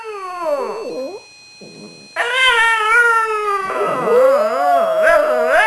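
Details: Two pet Shih Tzu dogs singing along to Christmas music, one leading and the other adding background vocals; wavering harmonic howls that slide up and down, a short pause, then a long overlapping warbling howl.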